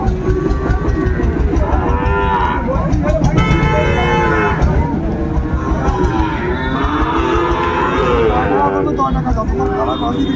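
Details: Sahiwal bull calves at Ambari cattle market, held Mondays and Fridays, where Dhaka farmers are buying, 27 January 2025; repeated low, drawn-out moos with curving tones, overlapping one another amid steady market chatter and a low rumble.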